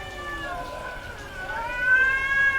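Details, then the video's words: Domestic female cat calling in heat, a faint, long, steady moaning wail that swells and climbs slightly near the end, against a low background hiss. "SOM de GATO no cio - Barulho de GATA no cio Gatos miando"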